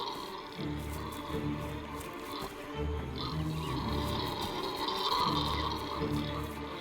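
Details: Howler monkeys on the move near forest temple ruins give deep, rolling roars that swell and fade and echo around the forest, with background music playing over them.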